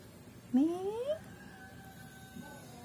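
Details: Neighbour's domestic cat yowling angrily after someone tried to hold it: a single loud rising wail lasting about half a second, followed by quiet background and faint music.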